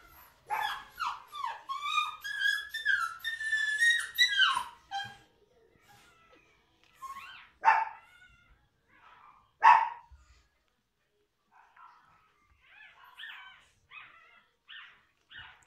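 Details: Newborn toy Schnoodle pups, a few days old, from a litter of seven out of a small liver-and-tan Miniature Schnauzer mother and a cream Toy Poodle father; a run of high, squeaky whimpers and yelps in quick succession, then scattered fainter squeaks.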